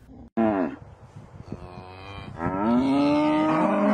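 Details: Cow in the countryside, named among the five animal sounds most often heard in the fields: a short muffled low sound, then a long, loud, deep moo that rises slightly and holds steady to the end.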